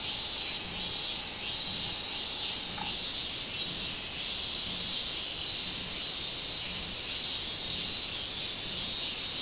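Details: High shrill song of the robust cicada (minminzemi), recorded on 24 July 2016, a continuous buzzy whine throbbing in slow waves, with one faint lower click under three seconds.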